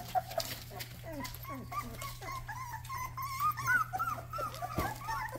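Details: Rottweiler puppy making its first barks: soft, high, sliding whines and squeaky yips, short and irregular, over a steady low electrical hum.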